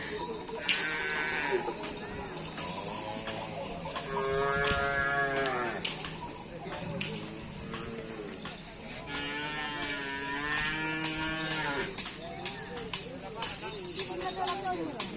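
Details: Cattle at a karapan sapi bull race on Sapudi Island, Indonesia, lowing repeatedly: several long, harmonic, wavering moos rising and falling, separated by short gaps, amid crowd chatter, clicks and an outdoor hubbub.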